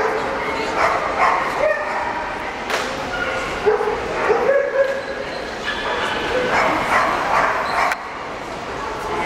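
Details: Basset Hound at a breeding kennel in Ukraine, giving irregular yips and barks over a busy, noisy background with people talking nearby.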